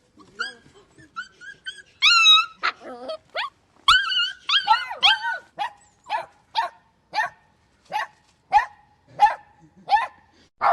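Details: Puppies yelping and whimpering: a run of short high, rising-and-falling squeaky yelps, then evenly spaced sharp yips about every half second, with some speech underneath.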